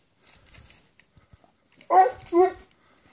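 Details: Plott Hound on a wild boar trail during a hunt, giving two strong barks close together near the end after a quiet stretch with faint rustling.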